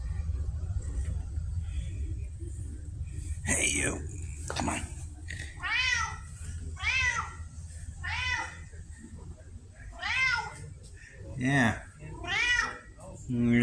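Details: Indoor red tabby named Pumpkin, a vocal female cat, October 2023: after a man's brief talk, a run of six or so arched, tonal meows spaced about a second or two apart, each rising then dropping.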